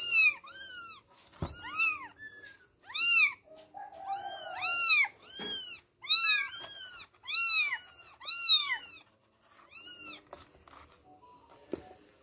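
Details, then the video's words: Three kittens named Billie, Ely and Backy struggle to get out of bed, crying in a busy run of high, arching meows that follow each other almost without pause, several voices overlapping, with faint knocks in the background. "KUCING MEONG MEONG"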